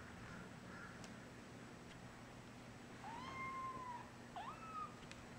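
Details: Three-week-old foster kittens being moved from a crate to a basket with a red blanket. One gives two clear meows: first a long, level, drawn-out cry of about a second, then a shorter one that rises and holds. Soft indoor hum beneath.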